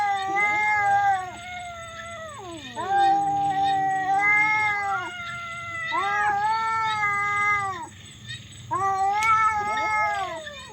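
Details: Domestic cats fighting, a very loud and weird exchange: long, wavering harmonic yowls that rise, hold and bend downward, in drawn-out bursts of about two to three seconds with short gaps, overlapping voices at times.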